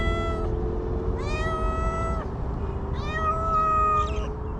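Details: Homeless stray cats in Ras Al Khaimah, United Arab Emirates, meowing: three drawn-out, slightly rising then level meows spaced about a second apart, over a steady low mechanical hum.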